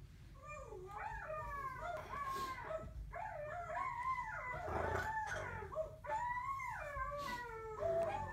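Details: Two pet dogs howling together, overlapping voices rising and falling in wavering arcs, each phrase about a second long, with low background rumble throughout.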